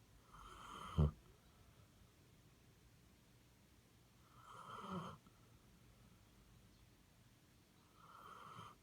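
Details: Snoring Basset Hound, a short sharp snort-like snore, then softer breathy snores about four seconds apart in a quiet room.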